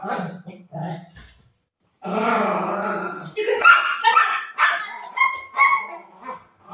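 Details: Buzo the golden retriever, a pet at home near sleeping time, makes drawn-out moaning whines and short yelping grumbles, with a pause and then busier bursts. A woman's Marathi speech is mixed in.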